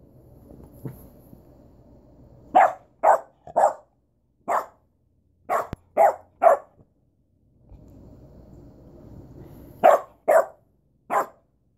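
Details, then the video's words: Duchess, a pet dog, barking in short sharp bursts: a run of seven barks in quick pairs and triplets, a pause with low background hum, then three more barks close together. "Duchess barking"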